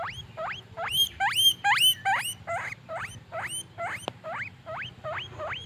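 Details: Guinea pig, a happy furry pet, calling in loud rising whistle-like squeals, about two or three each second, several overlapping early on, then softer single wheeks with one sharp click.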